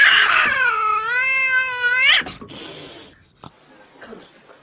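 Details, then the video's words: Cat giving one long, loud meow of about two seconds that dips and rises in pitch, followed by scuffling noises and quieter rustling. "Unbelievably and funny sounds made by Cats."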